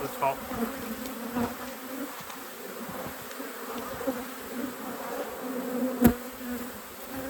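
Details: Honey bees humming at a hive in an apiary during an inspection, a steady low drone with a fainter overtone above it, unbroken for several seconds, with a few soft knocks and one sharp click near the end.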